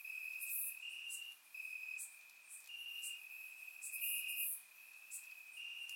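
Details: Bulgarian summer night chorus of crickets in grass, a persistent high-pitched trill alternating between two close tones in rhythmic phrases, with a few bright high chirps overhead.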